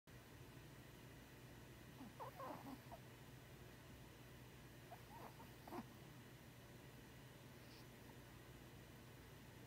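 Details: Daisy, an 8-year-old 2.5 lb teacup poodle, dreaming in her sleep: a few soft, faint squeaky whimpers in brief clusters around two and five seconds, over a steady low background hum.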